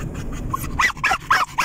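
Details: German Jagdterrier dog riding in a car; a short run of four sharp yelping barks after a quiet start, over steady road rumble.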